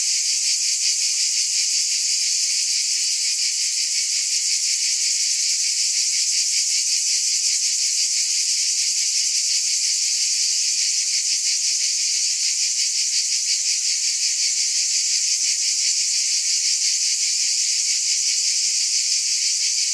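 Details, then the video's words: Steady high-pitched buzz from a mass of cicadas, sizzling and continuous with a light rapid throb, level loudness throughout and nothing else audible. "Scintillating Cicadas"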